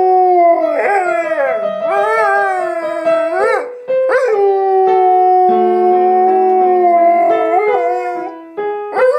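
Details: A Siberian Husky named Blu howls in long, wavering, rising and falling tones over piano music, singing along to Beethoven's Für Elise.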